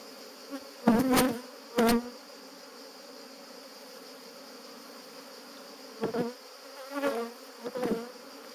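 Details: Honey bees defending their hive during a honey harvest at Jouques, Provence, southern France, 17 July 2017; loud buzzy flybys come in two early bursts, then three more spaced passes, each a low droning whine over a steady background hum.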